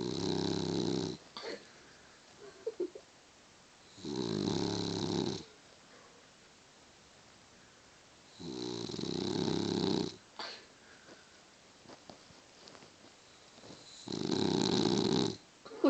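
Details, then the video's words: Boston Terrier snoring heavily while asleep, long rough nasal rasps about a second long separated by quiet pauses of two to three seconds, in a small indoor room. "Snoring Boston terrier"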